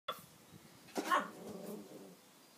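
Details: A Border terrier barking at a broom: one short, harsh bark near the middle of the clip, with a fading harmonic tail and otherwise quiet surroundings.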